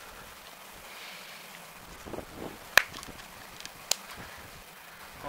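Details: Outdoor wind hiss with scattered rustling and two sharp clicks, and no animal call.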